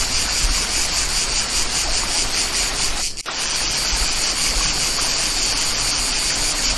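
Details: Cicadas singing in the countryside beside a cascade of running water: a steady, dense high buzzing over the constant rush of the falls, with one brief dip in the sound near the middle.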